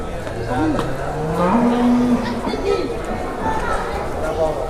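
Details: Cattle at a market in Indonesia, where a child leads a cow: one low, drawn-out moo rises and then holds steady for about a second, over crowd chatter and general market noise.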